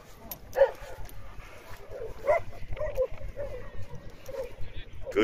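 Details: Shaka, an eight-month-old Boerboel, lets out short barks in four separate bursts spread over about five seconds, while a person's voice giving commands such as "stay" runs underneath.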